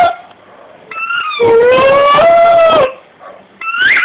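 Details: Dog biting a sound-making rugby ball and singing to match it: squeak, then a sustained mellow howl that swells and fades, followed by another squeak.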